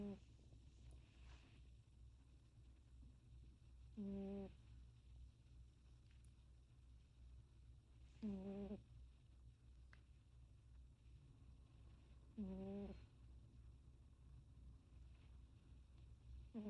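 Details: A cat snoring indoors: a short, low, voiced snore returning roughly every four seconds over a steady low hum, with quiet breathing in between.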